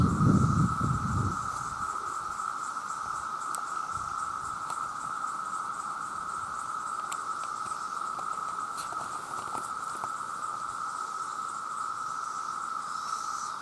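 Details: Male cicadas calling for mates make a very loud, steady, unbroken drone on one pitch, with a faint pulsing shimmer higher up.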